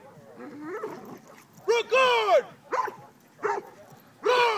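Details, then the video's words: Cane Corso during a Mondio ring face attack on a decoy at an open-field trial, 17 February 2012; a handler's spoken command comes first, then deep, harsh barks in separate bursts. "Cane corso Mondio ring"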